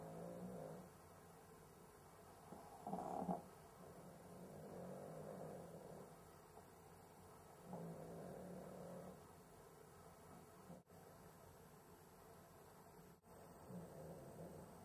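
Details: Sleeping Cavalier King Charles Spaniel struggling to breathe, with possible sleep apnea; rough, snore-like rasping breaths swell and fade in uneven waves, with a louder snort near three seconds and two brief dropouts.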